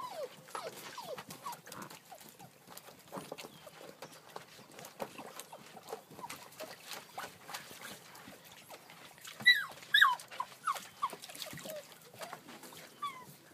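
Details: Seven-week-old puppies playing in water, giving short high whines and squeaks, some with rising and falling pitch, a louder cluster near the tenth second, over steady splashing and patter.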